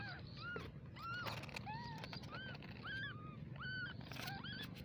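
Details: A litter of small kittens calling, bright arched mews tumbling over each other, some longer and sliding downward, set against continuous low-pitched background noise.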